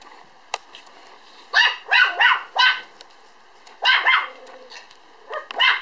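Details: Two-month-old Standard Poodle puppy, 3.8 kg, born 1 July and filmed 5 September, letting out quick runs of shrill yelps and squeaky barks, two to three in a burst, with a faint click early on.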